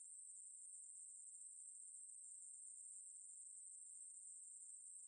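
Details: Steady, thin, shimmering buzz of a Ruspolia katydid, from 2020 National Institute of Biological Resources material, running without pause at a constant high pitch and volume, against silence.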